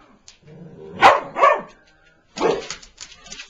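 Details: Pet Boston Terrier indoors confronting a new toy mouse, giving two sharp, close barks in quick succession, then a lower, rougher bark a second later with faint rustling between.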